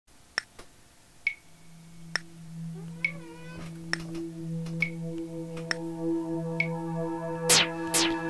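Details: Electronic music of sustained synth tones punctuated by sharp clicks about every second, building toward two loud swooping bursts, with no animal sound audible.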